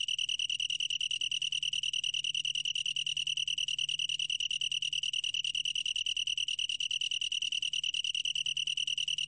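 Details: Long-tailed tree cricket singing a steady, high, pure-toned trill made of rapid, evenly spaced pulses, unbroken throughout, with a faint low hum beneath.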